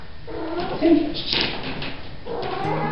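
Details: Oriental cat, a Siamese-type breed, talking while jumping indoors: a few drawn-out, wavering meows, with a loud burst near the start and softer vocal sounds after.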